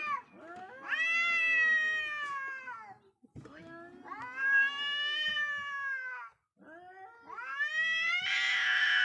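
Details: Two wild cats facing each other in a wildlife encounter; three long, wavering, rising-then-falling wails, each about two to three seconds, with rich harmonics and a harsher, noisier edge at the end.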